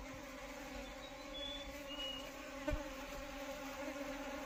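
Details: Asian honey bee (Apis cerana indica) buzzing: a steady, droning hum with a clear low tone and evenly stacked overtones, holding level throughout, with a faint brief whistle and one soft knock midway.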